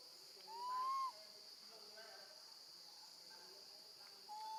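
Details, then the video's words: A young female monkey cries for her mother while left with her gentle grandmother: a strong, smooth, rising whistled call, a quiet gap, then another level whistle starting at the end. A steady high hiss runs throughout. "Baby monkey screams loudly, calling for her mom when left alone with her gentle grandma"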